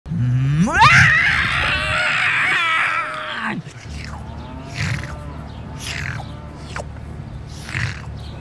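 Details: A screaming cow lets out a loud, strained bellow that rises sharply, holds for about three seconds, then breaks off, followed by softer grunts, clanks and handling noises.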